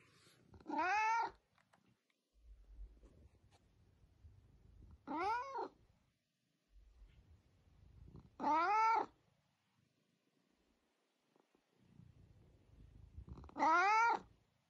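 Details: A chatty house cat that keeps talking: four arched meows, each rising then falling, spaced about four seconds apart in a quiet room with faint low rustling between calls.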